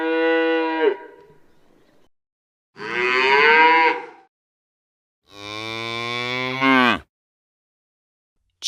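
A cow gives three long, full-throated moos separated by short pauses.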